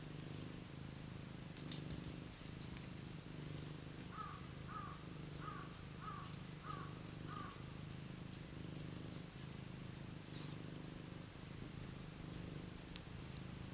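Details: Domestic cat warming itself by a heater, purring with a steady low rumbling drone throughout; midway a short run of six faint chirping notes repeats about every half second over the purr.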